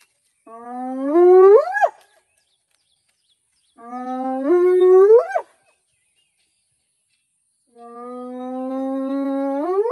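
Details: Spotted hyena whooping three times, each call a drawn-out rising sweep starting low and climbing steeply at the end, spaced roughly three to four seconds apart against quiet surroundings.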